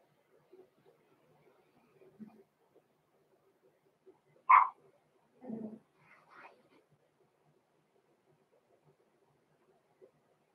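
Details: Roman and Blue, six-week-old blenheim Cavalier King Charles Spaniel pups from a small litter, in their home puppy pen: one loud yip, then two softer, lower barks about a second apart, with faint rustling between.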